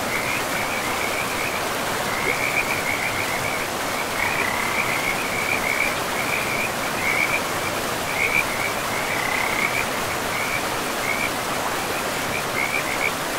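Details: Chorus of frogs by a forest river, their fast, rattling trills repeating almost without pause in bursts every second or so, layered over a constant hiss of rushing river water.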